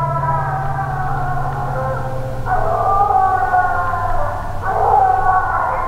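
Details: Young Phrogger hound pup, six months old, treeing at night on only its fourth hunt: drawn-out howling bawls that swell and waver, two fresh cries starting near mid-clip and toward the end, with a low rumbling hum beneath.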